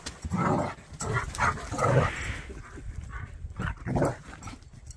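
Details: Jack Russell and Bernese dogs playing and chasing each other: low, rough growling bursts rise and fall over a few seconds, with breathy scuffling between them.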